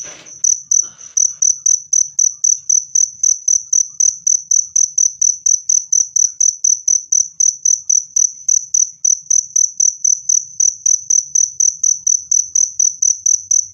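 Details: Clear, loud cricket sound offered to drive rats away naturally and to soothe stressed birds: rapid high chirps at about four per second in a steady train, preceded by a short click at the start.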